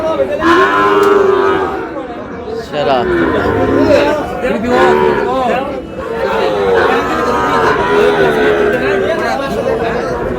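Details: Lowing cattle at a market where Sahiwal bull calves were bought for a Cox's Bazar farm, 14 August: several repeated moos, each rising then falling, follow one another over ten seconds amid busy crowd talk.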